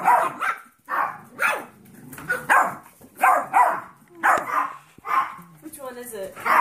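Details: Thirteen-week-old Golden Retriever mix and five-week-old Yorkshire Terrier foster puppies give short, high yappy barks in quick bursts while people talk, the little puppies barking at the big ones.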